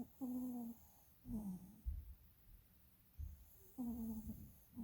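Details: Snoring dog asleep, eyes rolling, producing steady whistling, whiny snore tones on each breath, roughly every one and a half to two seconds, with soft low breathing between.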